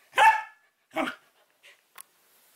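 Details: A young female Samoyed demands that her dropped porcupine toy be picked up, giving two loud, rough barks less than a second apart, followed by a few faint clicks and taps.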